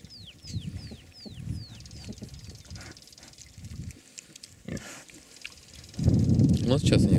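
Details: Hungarian Mangalica sow with suckling piglets: soft, low rhythmic grunts, then loud rough grunting from about six seconds on; a series of falling whistled bird notes opens the recording and a person speaks briefly midway.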